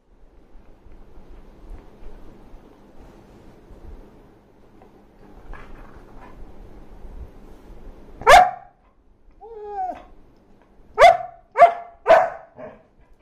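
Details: Dog barking: quiet shuffling at first, then one sharp bark, a soft whimpering whine, and a quick burst of three sharp barks in about a second, with a faint final yip.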